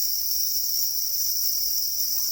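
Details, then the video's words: Angry black crickets guarding eggs produce a steady, piercing high-pitched trill that never pauses, a dense ringing buzz that stays level in tone and loudness throughout. "Black crickets or para crickets are crying angrily for their eggs"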